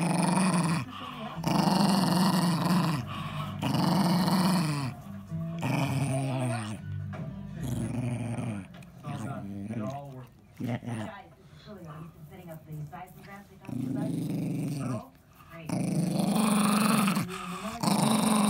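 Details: Male Jack Russell Terrier, ten years old, growling to guard his ball: long, low rumbling growls of one to two seconds come in repeated bursts, broken in the middle by a person talking.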